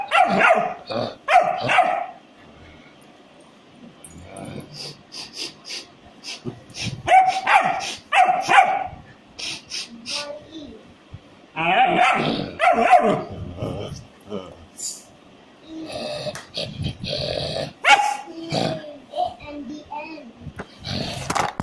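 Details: German Shepherd. A German Shepherd puppy barks in short, high-pitched yaps, delivered in uneven clusters with brief pauses between them. A few softer yips and some background voices come through between the bursts.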